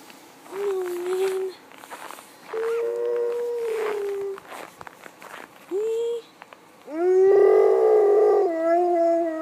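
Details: Dog in Svalbard howling like a wolf: long smooth tonal howls, some steady and some gliding, sounding in several separate bouts, ending with a loud sustained howl that has rich harmonics; no other clear sounds.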